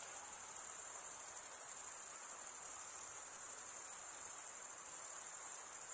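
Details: Dense chorus of chirping crickets, males stridulating with their wings: a bright, very high continuous trill with fine rapid pulsing and steady volume, heard alone.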